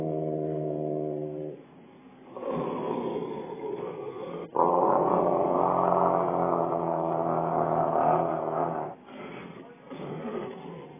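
A Rottweiler growls and grumbles in long, rough, throaty bursts, with a human voice alongside.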